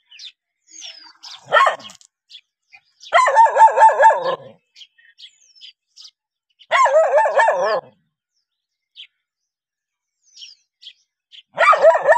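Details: Barking dogs reacting to a stranger, giving three bursts of quick, rasping barks about three seconds apart. Faint chirps and scattered clicks fill the silences.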